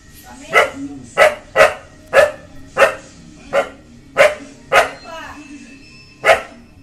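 A Rajapalayam dog barks sharply and repeatedly at a stranger, guarding its ground.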